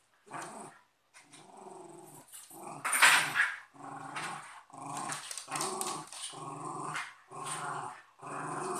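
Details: A cocker spaniel and a westie fight, giving deep, throaty growls in pulsing bursts about every half second, with a loud harsh snarl near the middle.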